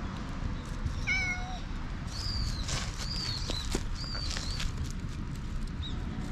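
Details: Black stray cat meowing while being tickled all over, filmed outdoors at night on a GoPro with a headlamp: a short harmonic meow, then several higher thin mews, against a steady low rumble of background noise.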